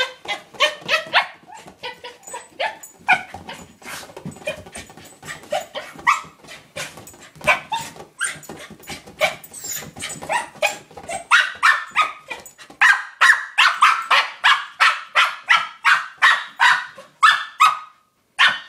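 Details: A pet corgi named Cooper attacks a new toy ball: bursts of short, strident yips and barks, looser and scuffling at first, then settling into a fast, regular string of loud barks near the end.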